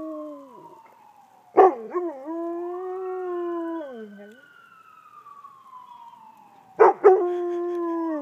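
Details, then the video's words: A dog howls along with an ambulance siren. The siren's long falling sweep is interrupted by harsh bursts, then a sustained mid-pitched howl holds for about two seconds before dropping away. The siren sweeps on between the howls. "Dog talks to Ambulance"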